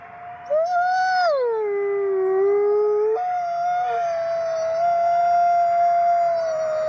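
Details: A pack of gray wolves, said to be all 50 at a wolf conservation center in South Salem, New York, howl at once. One voice slides down, levels off, then rises to a steady held note over higher and lower voices in a sustained chorus.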